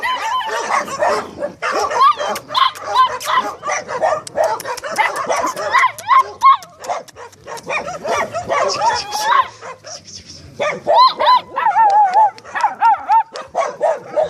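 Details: Several Staffordshire Terriers give a busy run of high yips, whines and short barks, some rising and falling in pitch, overlapping closely with a person's voice throughout.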